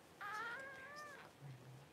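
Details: Newborn Cavalier King Charles Spaniel puppy from the first litter of mother Paris, born at home during whelping on January 1, gives one high, wavering squeal that slides slightly downward, followed by a low hum.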